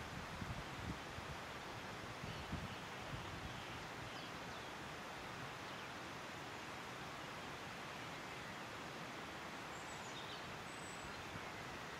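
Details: Steady wind and rustling fill the recording, with only the faintest high tick near the end and no clear animal voice.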